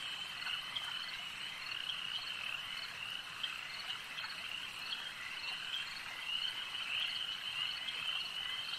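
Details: Frogs massed at a lake produce a constant high, pulsing chorus; occasional brighter whistled notes rise above the steady trilling.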